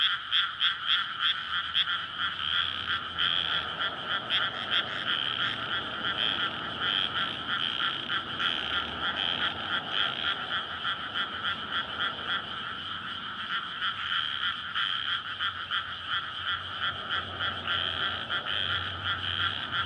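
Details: Courting frogs fill a flooded May rice field at night, surrounded by housing with a road alongside; a thick, unbroken chorus of fast croaks over a faint low rumble.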